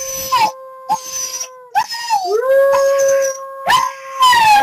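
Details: Link the pet dog howls with the mic too close, loud sustained tones broken into several long notes, one sliding upward before holding steady, with short yelping bursts between them.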